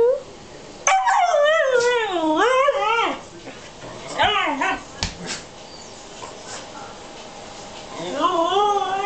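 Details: Young Alaskan husky, three and a half months old, living with a two-year-old morkie, giving an undulating yodel-like moan that swoops up and down for about two seconds, then shorter wavering whines, with faint human talk and handling noises.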